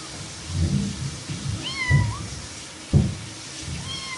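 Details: Domestic cat, described as playful, giving a rising-then-falling meow and a later short meow, with heavy low thumps and rumbling underneath.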